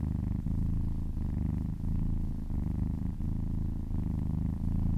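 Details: Happy cat purring while being massaged, a steady low rumbling purr with brief dips at each breath, roughly every second and a half.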